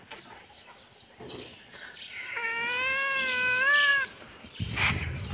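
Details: Cat or kitten playing in a yard gives one drawn-out, wavering meow lasting about two seconds, clear and harmonic, followed by a short rustling thump.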